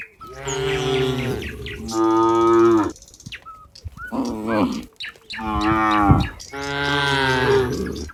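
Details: Herd of cows in a barn as a cowherd walks toward it, several deep, drawn-out harmonic moos of about a second each, some rising then falling, overlapping one another with short pauses between.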